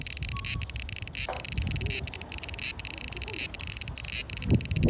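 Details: Summer cicada song recorded in 2020: bright continuous high buzz with pulses about every 0.75 seconds, plus a few faint low background noises.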